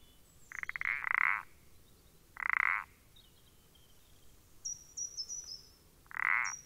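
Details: Common parsley frog calling on 14 April 2020: three short, loud, nasal croaks, the first a rapid rattling burst, spaced about two seconds apart, with faint high thin chirps in the background.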